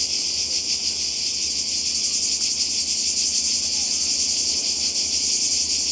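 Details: Croatian seaside cicadas in summer produce a continuous high, hissing buzz that pulses faintly, over a soft low background murmur.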